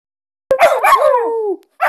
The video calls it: Aullido de Pastor belga groenendael